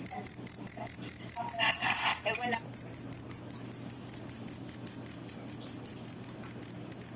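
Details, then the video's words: Kuliglig, the local name for a cricket, giving a fast train of sharp high chirps, roughly two and a half per second, with a short burst of speech early on and low hum underneath. "KULIGLIG CRICKET SOUND"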